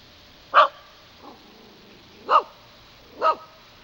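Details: Pet dog barking while walking around and playing; three sharp, mid-pitched barks spaced about one to two seconds apart, with a faint softer bark between the first two, over a quiet background.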